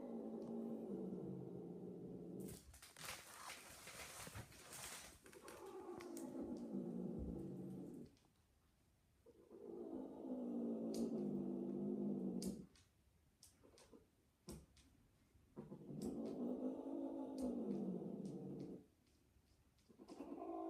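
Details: Loud mating cries from a female cat in heat during a second mating attempt: long, wavering, harmonic wails lasting two to three seconds each, separated by pauses, with a burst of rustling noise and some clicks between them.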